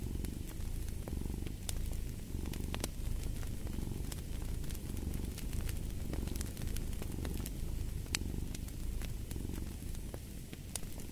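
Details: Cat purring in a deep continuous rumble, rising and falling in slow breath cycles roughly every two seconds, with sharp fireplace crackles snapping over the top.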